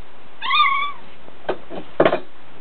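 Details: Pet dog making funny noises that could pass for a cat: a single drawn-out, wavering, meow-like whine of about half a second, followed by several soft thumps and clicks.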